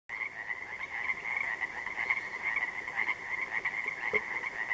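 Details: Pacific tree frogs, also called Pacific chorus frogs, calling at dark on an interior lake on June 3, 2014: a dense, continuous chorus of overlapping ratcheting croaks, steady and unbroken throughout, with many frogs calling at once.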